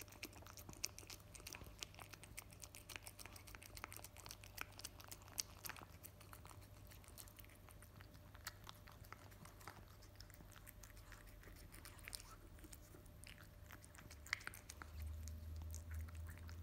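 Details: Male cat named KIMI eating his favourite wet food straight after a sachet is opened: quick wet clicking chews and smacks in an irregular stream, soft and close, over a low steady hum indoors.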